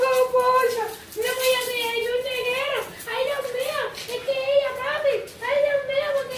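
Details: Female pet dog indoors, which spins and makes this noise at any strange sound: sustained wavering whine-howls in long, slightly warbling phrases with brief gaps, repeated several times.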